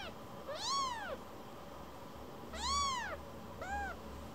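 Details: Young rescued kitten returning again and again to be petted, mewing: three bright arched meows, the last shorter and softer, roughly two seconds apart, with a low rumble of handling beneath.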